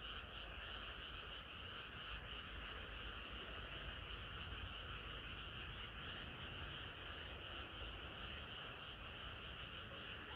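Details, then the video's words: Frogs in chorus on a hot summer night: a dense, unbroken wall of overlapping croaking with no single caller standing out, steady in loudness throughout, with a low rumbling undertone beneath. "개구리들의 합창은 끝이 없어라"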